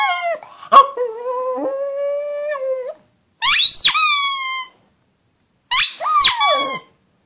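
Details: Pug howling indoors: a long wavering tone held near one pitch for about two seconds after a sharp yelp, then two rising-and-falling bursts with bright harmonics, separated by silence.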